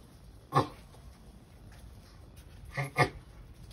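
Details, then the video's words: Sulcata tortoise vocalising while mating: a single strong, short grunt followed after a pause by a softer and a louder grunt in quick succession. "Sulcata tortoise completed mating"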